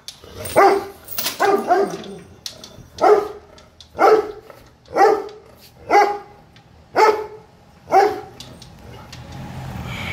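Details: A European Dobermann guard dog in India gives an aggressive warning: a steady run of loud, deep, throaty barks, each short and punchy, about once a second, with faint traffic hum behind.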